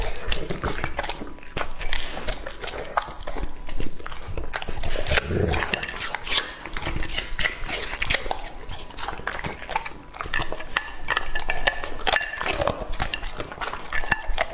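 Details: Lucky, a male English-line Labrador Retriever aged two and a half, feeding on raw meat. Steady crunching and wet chewing bites fill the clip, and a few faint higher tones sound late in the recording.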